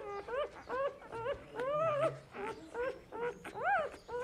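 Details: Dog whimpering in a steady run of thin, whining notes, each rising then falling, about three per second, over a soft low background hum.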